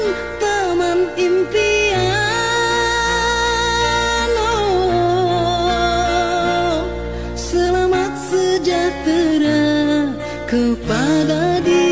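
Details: Sung music with sustained vocal melody over steady instrumental accompaniment throughout, with no animal sounds.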